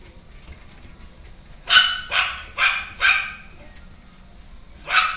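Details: Female Maltese dog born on 25 July giving a quick run of four sharp, high-pitched barks about half a second apart, then a pause and one more bark near the end, over a quiet background.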